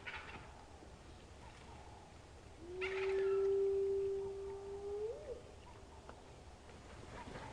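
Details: A spotted hyena gives one long, low whoop that lifts sharply at the end, at sunrise on 13 August 2015 in Sabi Sand, South Africa: two hyenas whooping in answer to male lions' roars, over quiet hiss.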